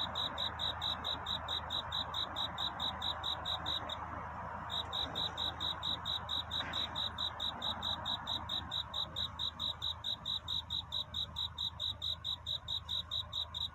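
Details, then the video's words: Nighttime cricket courtship song near dawn: rapid, evenly spaced high chirps, a brief break around the fourth second, then the regular chirping resumes and continues, over a low steady hum. "귀뚜라미 울음소리. 슬퍼 말아요 우는 것이 아니라 사랑을 찾는 노래랍니다"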